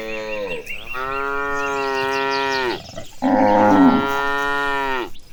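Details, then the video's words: Cows being herded to a green pasture give two long, steady, richly harmonic moos, each lasting about two seconds, with a brief gap between them and faint bird chirps behind. "The Sound of Mooing Cows Walking Toward the Green Pasture, Herding Gentle Cattle"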